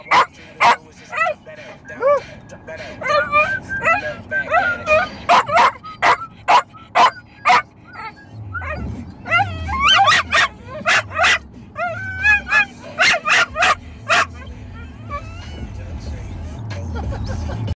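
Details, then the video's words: Two pet dogs howling and singing together in a car on the drive home from a vacation; wavering, rising and falling howls with sharp yips between, and a low engine rumble underneath. "Sing along in the Car"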